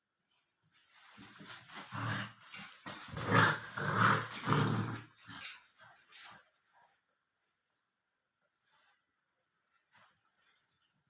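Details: Labrador Retriever puppy, 64 days old, growling indoors: a run of rough, low, buzzy growl bursts over about five seconds, then near silence to the end.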